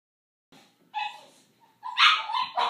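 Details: Boxer puppy siblings Paizley, a female brindle, and Pepsy, a male fawn, born February 2014 in Bonney Lake, Washington, squabble over a pig ear: short, harsh, growly yelps and barks in three bursts, louder toward the end, in a quiet room.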